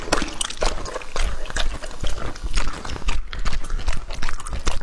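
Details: Juicy, slurping bites from Lucky, a two-and-a-half-year-old male English-type Labrador eating raw food. Wet smacking chews repeat about twice a second, with lapping and liquid squelches throughout.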